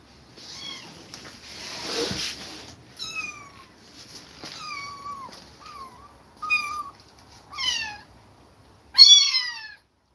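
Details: High, clear kitten meows, some rising then falling, come every second or so after a rough breathy sound; the kittens had to leave their mother after her repeated attacks.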